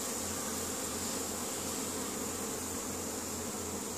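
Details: Honey bee colony at work in spring, Caribou, Nova Scotia, Canada, 10 May 2015, foragers bringing in pollen; an unbroken hissy, humming buzz of many bees, steady throughout.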